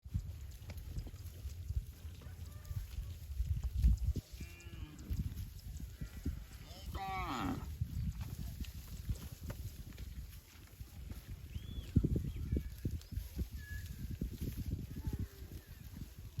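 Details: Cattle lowing on a farm, from a set of cow sounds that includes calves calling their mothers and mother cows calling calves: drawn-out, deep harmonic moos in the middle of the recording over steady low rumbling background noise.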